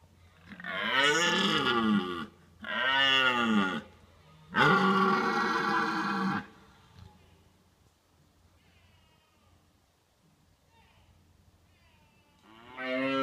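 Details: During the autumn rut a red deer stag roars to warn off rival stags, seen from a car as a hide: three loud, rasping, harmonic bellows in quick succession, a quiet pause, then another bellow starting.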